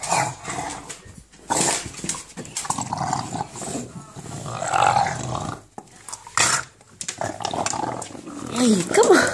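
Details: An English bulldog playing with a tennis ball and attacking a person's feet gives throaty, gravelly "monster" growls and snorting grumbles in uneven bursts. A person speaks at intervals, and higher whining notes come near the end.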